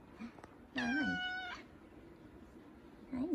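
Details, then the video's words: A male F2 Savannah cat gives a single loud, clear meow of just under a second. It is steady and harmonic, with a woman's soft greeting spoken just before and after it. "Big Savannah Cat Kumba Meowing"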